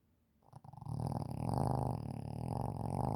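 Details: Shih Tzu snoring as it sleeps, a loud continuous low rasping rumble that builds after a brief quiet start and holds steady to the end.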